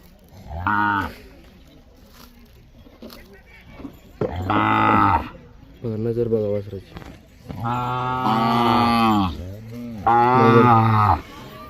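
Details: Tethered line of Mysore/Khillar breed calves in Maharashtra, India, lowing repeatedly: five moos of rising length, the last two long, full and sustained, separated by short pauses, with low chatter behind.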